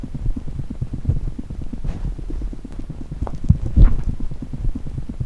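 A chipmunk's heartbeat: rapid, soft low thumps in a steady, fast rhythm.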